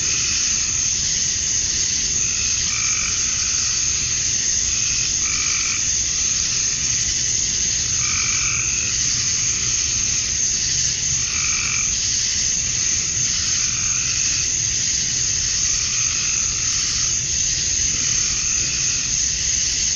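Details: Male cicadas chirping to attract females at dusk on a summer night in Georgia, USA: a steady, high, hissing drone holds throughout, while low, hoarse frog croaks repeat every couple of seconds underneath.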